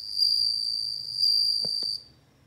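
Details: Short burst of a bell cricket's high ringing trill, lasting about two seconds before stopping, with two faint clicks near the end.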